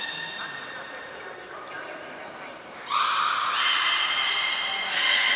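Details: Trained belugas at Port of Nagoya Public Aquarium, summer 2021 session: faint harmonic tones at first, then a sudden loud rising, nasal harmonic call that continues strongly with a high whistle note near the end.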